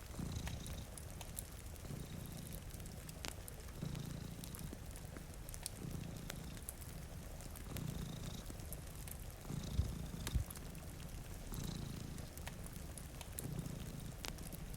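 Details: Two cats sleeping in front of a rainy window purr with low, rumbling pulses roughly every second, while a fireplace crackles with sharp pops and rain patters steadily in the background.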